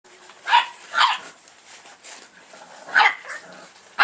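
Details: Sleeping dog named Borvo, from a "B" litter, snoring: harsh, noisy rasping bursts near half a second and one second, another around three seconds and a fourth at the very end, with faint breathy hiss between.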